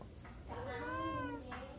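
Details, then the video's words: Cat by the side of a house asking for food: a single drawn-out, gently arching meow with rich harmonics over faint background hum. "Kucing Lewat Pingir Rumah Mengeong minta makan"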